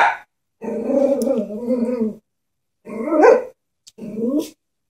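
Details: Frightened Chihuahua facing a stuffed toy horse, with a sustained low grumbling growl of over a second followed by two short, higher, strained barks; a person speaks briefly afterwards.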